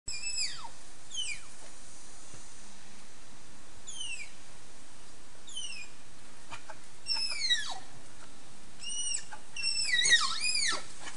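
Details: A pair of adult Malayan tapirs (Tapirus indicus) at Prague Zoo, Czech Republic, 22 December 2014: thin, bird-like high whistles that slide sharply downward, sometimes in quick pairs.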